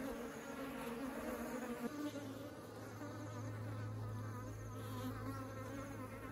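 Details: Honeybees carrying honey into their hive: a dense, wavering buzz of many bees with a low steady hum underneath that deepens after the second second.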